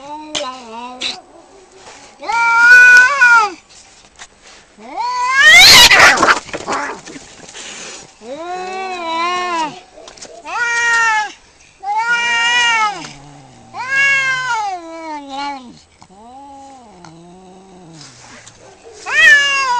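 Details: Two cats fighting, trading loud drawn-out yowls and wavering caterwauls that rise and fall in pitch, with a harsh burst of hissing and spitting midway and long howling phrases throughout.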